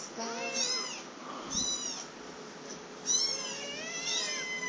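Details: Two hungry black kittens about three to four weeks old, a higher-voiced female and a lower-voiced male, clamouring indoors; high thin meows in arching bursts, several overlapping, with a steady faint hum beneath.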